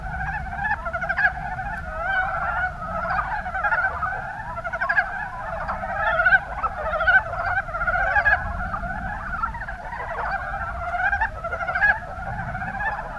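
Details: In the Kuma Basin of Kumamoto, Japan, Rana ornativentris frogs call together: bursts of short, knocking croaks repeat rapidly and irregularly, layered over a dense chorus, with a soft low rumble beneath.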